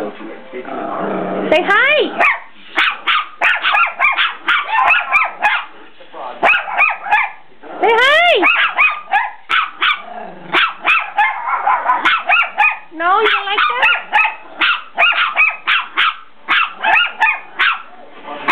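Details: Dogs on the attack keep up dense, rapid barking of about three bursts a second, broken by high rising yelps around two and eight seconds and a lower whining note later, with rough growling between barks.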